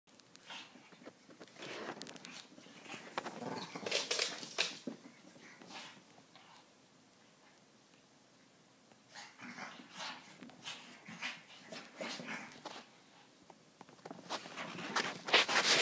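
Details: Shih Tzus at play indoors in a small room, giving short bursts of yips, grunts and playful growls in clusters, with a quiet lull midway and a louder flurry at the end.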